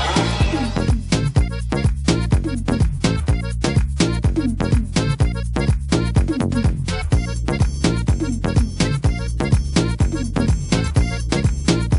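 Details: Steady, bass-heavy dance music with a regular beat; no animal voices can be picked out.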